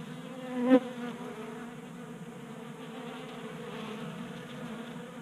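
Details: Several honey bees feed at a 3D printed tray in a Colorado garage on a warm January day, staying active on winter stores. A softer continuous drone of wingbeats, with one brief louder buzz as a bee passes close early on.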